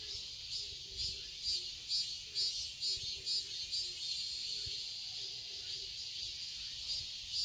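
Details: A garden in Seoul, Korea, in summer, filled with chirping cicadas: a continuous high-pitched whirring that rises and falls in regular pulses about every half second, with a faint softer hum below.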